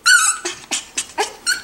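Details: Miniature Schnauzer puppies, five to six weeks old, indoors before breakfast: a high, wavering whistled whine, then a run of five short, bright yelps spaced about a quarter second apart.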